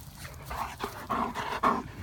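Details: Two Great Danes play outdoors in Florida after a spell of rain, chasing each other and sharing a stick; a series of short breathy bursts in a quick panting rhythm, with quiet outdoor background.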